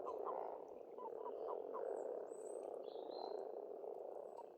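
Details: Spring frog chorus from an Estonian pond, many frogs croaking at once in a steady rolling drone, with a few clicky notes near the start and brief high bird whistles over the top.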